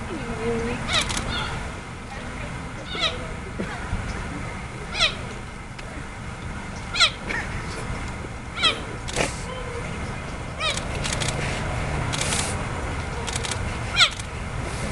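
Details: At San Diego Zoo Safari Park on 12 January 2013, a cheetah gives high, squeaky-toy-like, bird-like chirps every second or two, calling to its sibling in the back enclosure.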